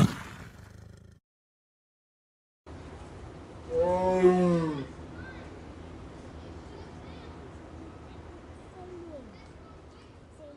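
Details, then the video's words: Lion giving a single drawn-out, moaning roar of about a second, strongly tonal and dipping at the end, after a brief silence, set against a steady outdoor hiss with faint distant sounds. "LION SOUNDS for Kids - Learn Roaring, Growling and Purring Sound Effects of Lions - 5 Lions Roaring"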